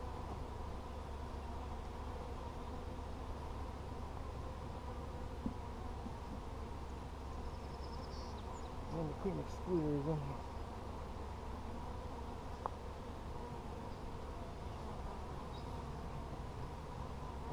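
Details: Honey bees in a heavy hive packed with honey, recorded during an inspection on 17 July 2020. A constant deep drone runs throughout. A man speaks briefly in the middle, with occasional clicks of handling.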